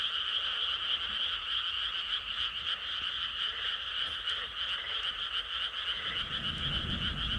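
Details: Dense frog chorus of quick pulsed croaks repeating several times a second in a continuous buzzing rattle, high and mid tones layered together; a brief low rumbling noise rises at the close.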